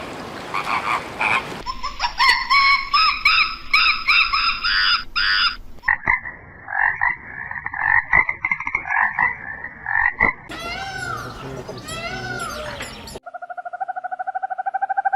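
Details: Frog croaking in several joined recordings: rapid rattling pulsed croaks, a dense trilling chorus, bursts of overlapping calls, then a steady, fast-pulsing tonal call.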